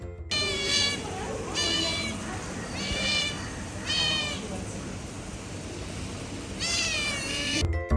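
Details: Otters at the Bronx Zoo's Jungle World exhibit, squealing: five bursts of high, harmonic, wavering squeals, each lasting under a second, over a steady background of music.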